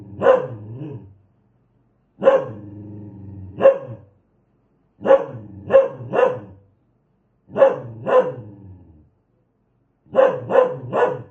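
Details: An aggressive dog barks in clustered volleys of one to three loud, ringing barks, a throaty growl running between some of them, separated by brief silences.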